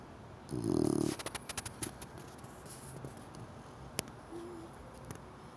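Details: Cream-coloured Chow Chow puppy, four months old, snoring while asleep: one loud, low rattling snore lasting about half a second, followed by a quick run of soft snuffling pulses, then a faint short hum and a sharp click.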